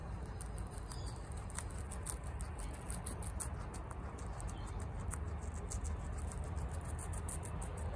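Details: Female pet guinea pig eating bok choy very fast, a dense continuous crunching and munching with crisp leafy snaps throughout.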